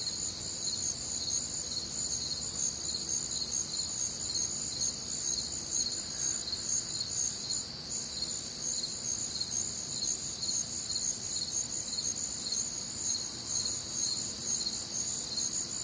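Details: Warm, humid summer night in the Midwest with crickets chirping en masse: steady high-pitched pulses layered over a sustained ringing trill, an unbroken chorus with no other clear sounds.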